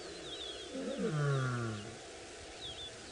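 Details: Lion pride in the Maasai Mara at sunrise, more than twenty lions moving through long grass, roaring in chorus with females leading males: one deep descending moaning roar lasting about a second, with birds whistling above.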